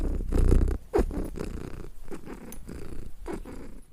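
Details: Domestic cat purr, a throaty low rumble that swells at the start, then continues in rhythmic breath-paced pulses with a few small knocks.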